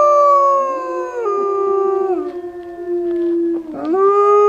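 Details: Pack of wolves howling at Wolf People in Idaho, started when a man howled to the white wolf; long sustained tonal howls with rich harmonics, voices overlapping and stepping down in pitch, one dipping then rising again near the end.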